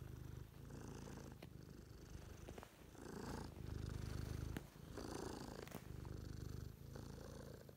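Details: Purring house cat, a deep continuous pulsing rumble that swells and fades in phases with brief gaps, plus a few soft clicks and faint rustling higher up.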